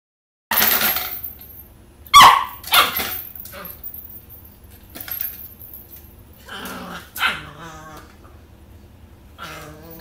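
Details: An 11-week-old Pembroke Welsh Corgi puppy plays with a cat toy, trying to reach a small red ball. A few sharp barks come early on, mixed with clattering toy noises and quieter scuffling.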